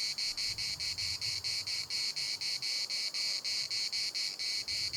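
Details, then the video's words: Cicadas in Larnaca's municipal park produce a shrill buzzing song chopped into regular pulses around two per second, steady and loud, with only soft low background noise. "CICADAS at the municipal Park Larnaca"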